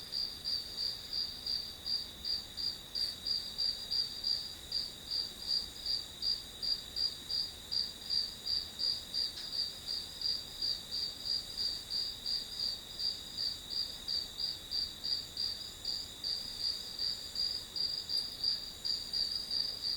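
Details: Grass insects keep up a long, regular run of piercing high chirps, near three pulses a second, with a couple of faint clicks and no other animals.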